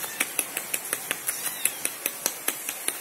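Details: Sharp metallic taps repeating steadily about five times per second over a quiet background, like hammering or clinking utensils, with no animal voice.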